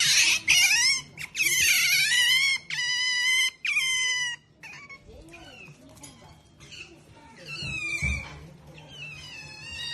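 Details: Pet otter, a female, calling at home in repeated high, harmonic squeals and chirps, some rising and falling, in loud bursts of about a second each, with quieter squeaks and low household hum between.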